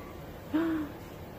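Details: Golden Retriever gives one short, clear whine, a thin tone that rises slightly and then eases down over about a third of a second, over a quiet indoor background hiss.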